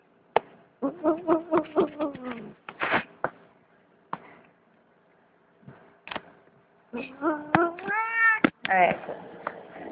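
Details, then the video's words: Domestic cat giving a string of drawn-out, wavering meows in two bursts, an early run of short rhythmic cries and a later set of longer rising-and-falling yowls, with sharp clicks and knocks in between and quiet gaps. "Cat funny sounds"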